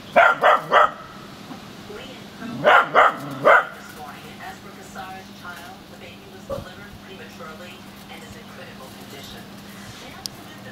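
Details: Olly, a smooth fox terrier, barks at a plastic bag blowing around in the wind: two quick bursts of three sharp barks each, followed by low human talking and a steady hum.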